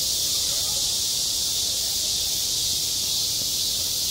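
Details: A continuous, sizzling cicada chorus at a school playground in midsummer, high and even throughout, with only a faint murmur below.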